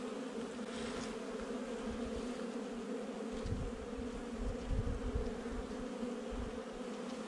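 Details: During a hive inspection on 8 July 2020, honey bees in a month-old nuc produce a constant, dense humming drone, steady throughout, over some low rumbling background noise.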